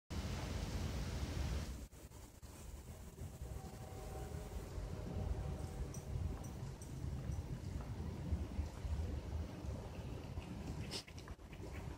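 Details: Rumbling, windy handling noise with soft knocks and scattered clicks, with no clear animal voice.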